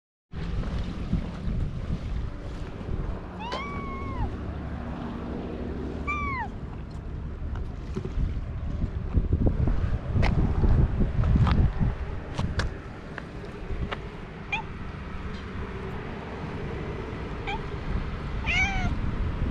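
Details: Cat on a seaside breakwater in Japan, approached and stroked: a few clear arched meows, rising then falling, spaced several seconds apart over low rumbling of waves and wind, with scattered clicks and knocks.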